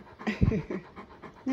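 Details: Great Pyrenees male dog, indoors at home, begging for snacks by himself while the female that usually asks is away; soft breathy panting bursts repeated roughly every quarter second, ending in a brief tonal note.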